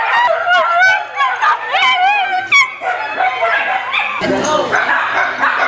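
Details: Italian Greyhounds, many dogs together, playing at a Sunday morning playdate at a kennel in Denver, Colorado, in January; high yelping barks and harmonic whines tumble over each other in the first three seconds, then scuffling and human voices.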